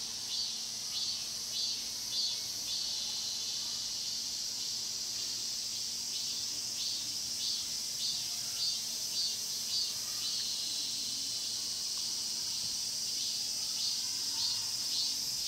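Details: High shrill wall of cicada song in Cheongsong's Mokgye pine grove, captured on a Panasonic LUMIX GX9, throbbing in quick, fairly even pulses over a steady hiss throughout.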